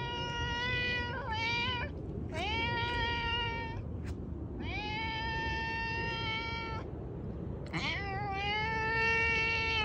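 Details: Loud domestic cat meows, long drawn-out wailing calls up to two seconds each, some rising sharply at the start, with a brief click between, against steady low-frequency noise.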